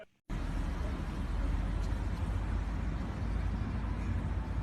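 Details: After a brief silence, steady low rumbling noise like passing traffic or wind fills the recording, with no animal voice.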